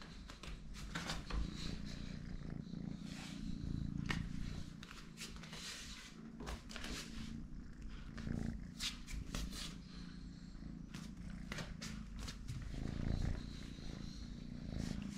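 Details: Small three-legged kitten purring indoors, a steady low rumble running through the whole recording with faint soft clicks and rustles on top.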